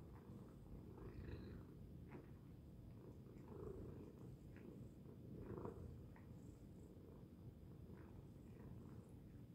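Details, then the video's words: Loud purring from a house cat, a continuous deep rumble with soft regular breath swells every couple of seconds and nothing else clearly heard. "Loud Purring Tacy Cat"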